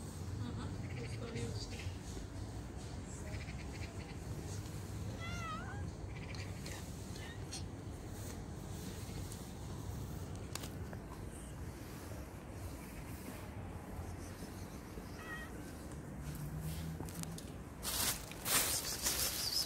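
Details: Stray cat living on the street, meowing while being fed: a few short, wavering meows in the middle, set against constant low street noise, with a burst of loud rustling near the end.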